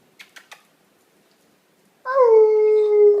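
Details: A year-and-a-half-old female Basenji 'speaks' indoors in November 2013: after three quick sharp clicks and about 1.5 seconds of quiet, a long clear tonal note begins. The note starts slightly higher, settles into a steady held pitch with bright harmonics, and continues to the end.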